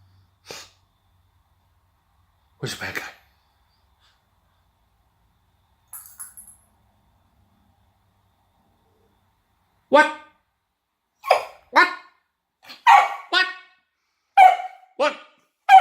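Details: A Kelpie dog barking while playing with a toy: after scattered soft sounds and quiet gaps, a run of about eight sharp, short barks comes in quick, uneven succession over the last six seconds, indoors.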